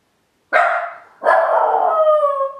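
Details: Miniature Pinscher named Ylva, home alone outside the kennel for the first time, standing in the hall: a sharp bark followed by a longer drawn-out howling bark with steady harmonic tones, in a quiet house.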